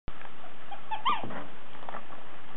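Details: A two-month-old Pomeranian puppy gives a brief, high, falling yelp amid loud rumbling handling noise close to the microphone.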